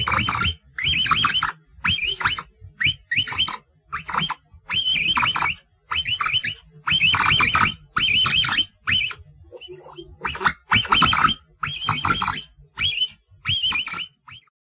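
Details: Capybara calling in a rapid series of short, high, wavering squeaks with warbling pitch, delivered in bursts roughly every half second to one second, with brief pauses and a short quiet gap near the middle.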